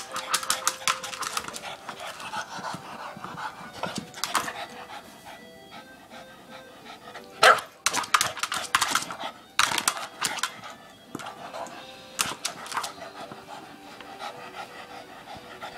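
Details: A male Boston Terrier, going crazy when he sees his ball, gives sharp, irregular barks and huffs, with a faint steady tonal hum underneath.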